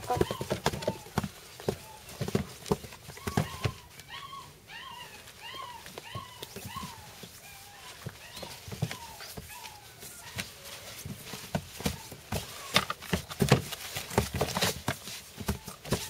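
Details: Black-and-tan German Shepherd puppy giving short, arched whimpers about twice a second through the middle stretch, amid sharp clicks and tapping and a person talking indoors.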